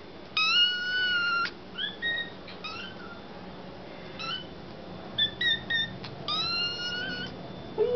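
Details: Two foster kittens, Sir Purrsalot and Excallipurr, begging for their evening KMR milk indoors: loud, high, even-pitched mews repeated in bursts, some long and flat, others short and choppy, with a quiet room hum beneath.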